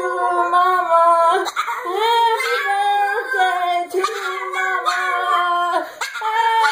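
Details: A female rescue Pekingese "sings" Happy Birthday along with her owner, howling in long, wavering, sustained tones that rise and fall with brief breaks; she learned to sing back when sung to during seizures.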